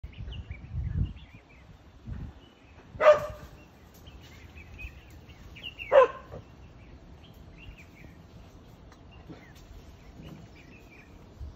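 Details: Vervet monkey in a wild fig tree in South Africa gives two sharp, harsh barks about three seconds apart against a quiet outdoor background.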